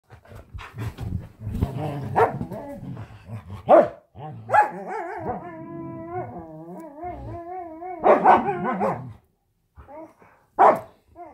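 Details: Huskies at home, playing and play-fighting indoors: sharp barks, then a long wavering awoo howl with rising and falling tones lasting about two seconds, followed by more loud barks and brief pauses.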